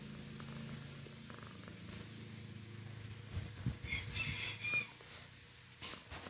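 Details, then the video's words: Domestic cat purring while its mouth is held in a "number three" shape. A low, steady rumbling purr runs for about three seconds, then soft rustles and brief clicking sounds follow. "Purring with the number three mouth"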